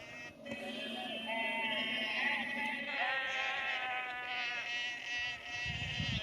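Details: Sheep moved along a lane by a farmer near Cefn Coch in Powys, Wales, 31 March 2021; a dense chorus of drawn-out, overlapping bleats, steady in loudness throughout, with a low rumble near the end.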